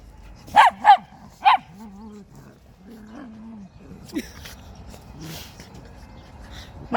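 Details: Pet dogs, a schnauzer and a West Highland White Terrier, recorded on 4 January 2020: three sharp, high barks in quick succession within the first second and a half, followed by softer, lower whining tones and scattered household noises.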